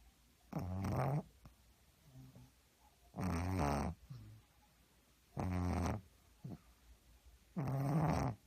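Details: Sleeping pug snoring heavily: four long, rasping, harmonic snores, each lasting under a second, about every two and a half seconds, with quieter breathy snuffles between them in a still indoor setting.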